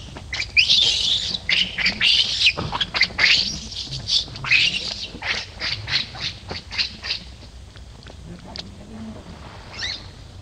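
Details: Baby monkey Lucie, kicked by Luna and fallen into a hole, gives a rapid run of harsh, high screeching cries that are loud at first, then fade and thin out toward the end.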